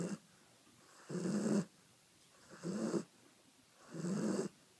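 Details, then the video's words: A loud snoring dog, asleep, giving three long, rasping, low snores, each about half a second, separated by quiet breaths in a steady rhythm. "Dog Snoring LOUD"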